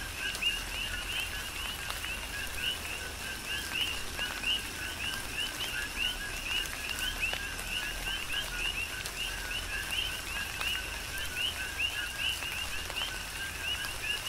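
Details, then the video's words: Coqui frogs chorusing in a tropical rain shower on the Big Island of Hawaii: many overlapping short, high chirps rising at their ends, repeated densely throughout over steady rain hiss and scattered raindrop taps. "Tropical Rain & Coqui"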